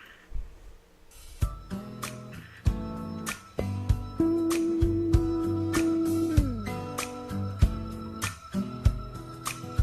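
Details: Plucked guitar chords ring out in a small room, with no animal sounds.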